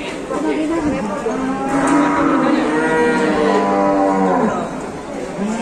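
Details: Huge, tall cattle shown at an Indonesian cattle contest, a sustained bellowing moo lasting nearly four seconds, with a steady harmonic tone that wavers slightly before trailing off into the background noise of the crowd.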